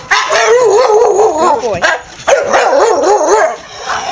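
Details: Henry, a Staffordshire Bull Terrier, excited at home in the evening as his owner returns from work, expecting a walk; two long wavering, yodel-like howling vocalizations with a brief dip between them.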